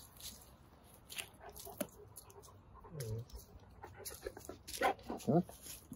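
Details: Wolfdog puppies tussle over a tree, giving short, high, wavering whines and yelps near the middle and again in two quick bursts toward the end, with a person talking and rustling in between.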